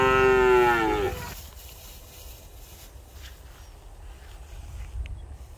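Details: Cow. A cow lets out a single brief moo, rich and tonal, sliding gently downward over about a second. After it, only faint outdoor background noise remains.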